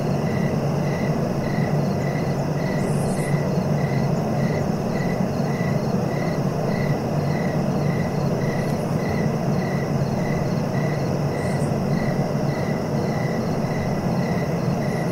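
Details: Steady cricket chirping meant for relaxing, short regular pulses about twice a second. Scattered brief high bursts appear near the start and later, with a constant deep rumbling noise underneath.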